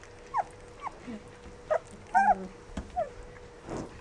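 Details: Rough Collie puppies aged 14 days utter brief high squeaks spaced about half a second apart, with one longer wavering whine in the middle, against a faint hum.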